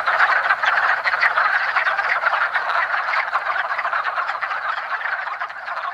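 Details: Early spring chorus of many wood frogs mating in a woodland pond, a continuous mass of short, hoarse, duck-like clucks overlapping with no gaps, fading slightly toward the end.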